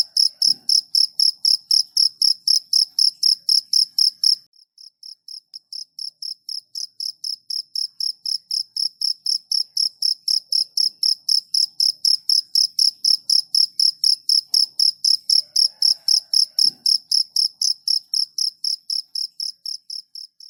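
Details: Cricket chirping in a long, regular series of high, shrill pulses, about four per second; after a brief drop in volume the chirps return softer, then build back to full strength.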